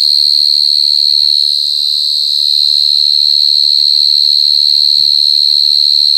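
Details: [['Very loud short-tailed cricket (jangkrik gangsir) calling: an unbroken, shrill, high trill holding one pitch the whole time, with a brief soft thump near the end.']]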